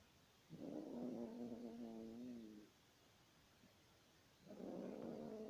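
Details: Yorkshire Terrier snoring: tonal, whiny snores with stacked harmonics, each lasting about two seconds, separated by quiet pauses of similar length.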